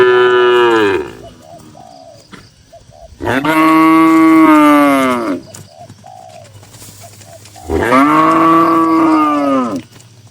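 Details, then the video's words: Tame cattle among dozens of cows kept in a busy farm barn, giving long deep moos, three drawn-out calls each lasting about two seconds with rich harmonics, separated by quieter barn noise. "Moo Moo Suara Sapi Lucu"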